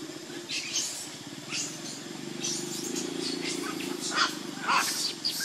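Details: Baby monkey named Lucie, hungry and begging for milk, foaming at the mouth, cries in repeated short, shrill, high-pitched bursts roughly once a second over a steady low buzzing hum.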